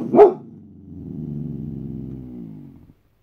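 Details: White Boxer named Boss on guard gives one loud, abrupt bark that slides straight into a steady, deep, throaty growl held for about two and a half seconds.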